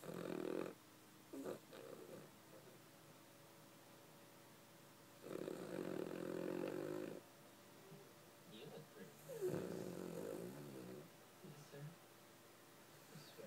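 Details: Sleeping dog snoring in long, rasping bursts a few seconds apart, with softer snuffling breaths in the quiet gaps between.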